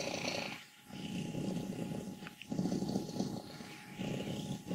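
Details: Old contented cat Wassilissa, 14, from Leutkirch im Allgäu, purrs and grumbles in deep rasping bursts, each about a second long, separated by short pauses for breath.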